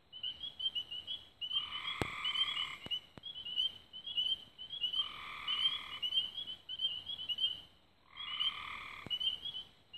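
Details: Dusk frog chorus near Raven Rocks in Belmont County, Ohio, 24 May 2016. High, quick chirping notes repeat steadily while three rough, buzzing trills of about a second each rise above them, with a few sharp clicks.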